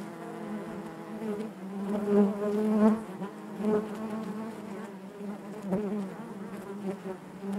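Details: Steady droning of many honey bees in the hive, a low buzzing tone with clear harmonics, growing slightly louder early on then holding an even, wavering hum.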